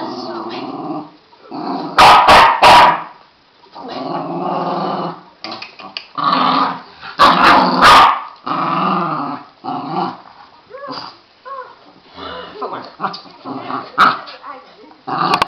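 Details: Border Terriers playing, their growls coming in uneven rough bursts separated by brief quiet gaps, with a few sharp snapping yaps around the second and eighth seconds and softer grumbling toward the end.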